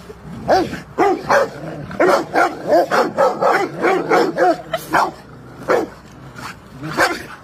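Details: Rottweiler playing on a field barks in a rapid run of about a dozen short, punchy barks over several seconds, then a few spaced single barks toward the end.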